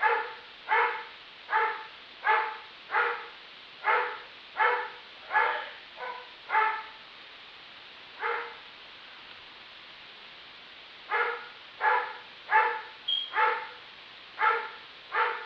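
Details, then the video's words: Persistent barking from the neighbor's dog, claimed at 63 barks per minute: a quick string of about eleven harsh barks, a pause of roughly three seconds, then another burst of six barks in the same rhythm. "My neighbor's dog barks 63 times in a single minute"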